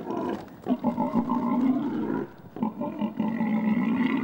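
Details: Wild boars mating in woodland, the female fleeing with the male partly on her back; harsh, sustained squealing with rich overtones, interrupted twice by short dips and snorting breaths before rising again.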